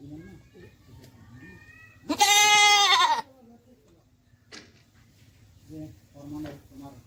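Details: Beetal goat doe with her newborn kid at a Haryana goat farm; one strong, drawn-out bleat lasting about a second, with quiet human talking before and after.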